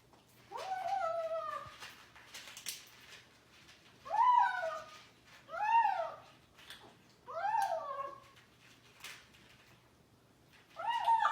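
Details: Kitten making noises while eating indoors: five arched, harmonic mewing cries, each rising then falling, spaced about every one to three seconds, with quiet room tone between.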